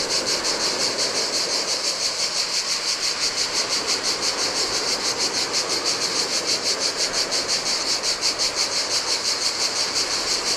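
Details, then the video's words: Cicadas singing in the heat beside the Adriatic sea on a desolate Greek island beach: a steady, high, buzzy pulsing chorus beating about three times per second, over the soft wash of surf on sand. "Cicadas by the Sea - Ocean Waves & Cicada Sounds"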